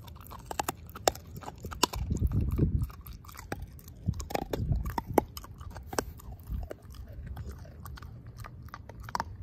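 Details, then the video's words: Pork steak eaten by the dog Ozzie, bone mashed to pieces; steady crunching with bright bony clicks and two stretches of heavier low gnawing. "Dog Eating Pork Steak"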